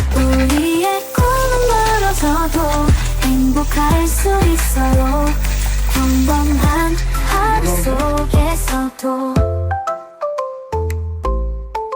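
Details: Upbeat pop music with a steady beat and bright melodic lines plays throughout, thinning to sparse notes near the end, with no animal voice audible.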